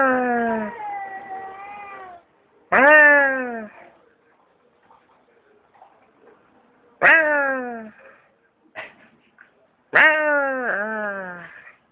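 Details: Stray cat behind an office building answering a person with loud, harmonic meows that start sharply and slide downward, about four in twelve seconds, with faint speech between them.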